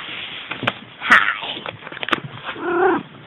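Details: Selkirk Rex female cat named Ronja (Lykken Curly Ronja) gives a single short meow near the end, arched in pitch with clear harmonics. Handling clicks and soft rustling come before it.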